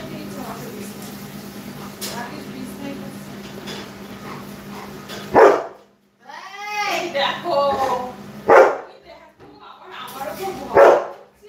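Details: Labrador Retriever indoors giving three sharp, loud single barks spaced two to three seconds apart, after a stretch of low hum; a woman speaks in Bengali between barks, with tonal voice or music sounds.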